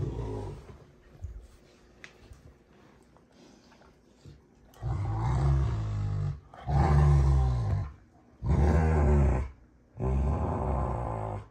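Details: Two Rottweilers, June and Kenai, play fighting at a ranch home: quiet scuffling at first, then four long, deep, rumbling growls in bursts of about one to one and a half seconds with short gaps.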